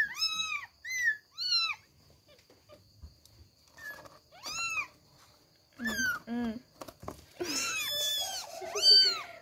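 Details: Three kittens trying hard to escape their bed so they can run; repeated high, arched mews in quick bursts, some stacked and overlapping, louder toward the end, with rustling between calls.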